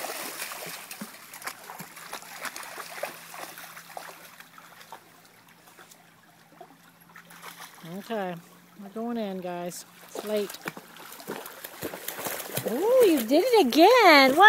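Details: First creek outing for Uma, a German Shepherd puppy, with an older male German Shepherd and a Lancashire Heeler; after quiet trickling water, wavering, warbling whines rise and fall repeatedly, louder toward the end, with a person talking.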